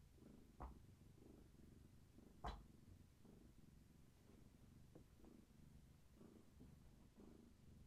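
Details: Pregnant long-haired tabby Gaia purrs indoors during bellywatch, her kittens active, as she leans into a person; an even low throbbing rumble in regular breath cycles, broken by two sharp knocks early on.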